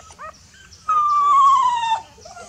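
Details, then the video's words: A frightened puppy crying for its mother: a few soft short yelps, then one long loud whine lasting about a second that slowly falls in pitch, followed by quiet whimpers. "Mom, Please help me! I am feeling fear (Puppy call mother)"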